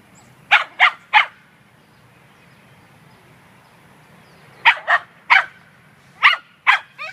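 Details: Munchkin, a female Scottish Terrier, hunts squirrels at a dog run instead of playing with other dogs, 9 May 2013. A quick run of three sharp barks, a long pause, then two more clusters of barks.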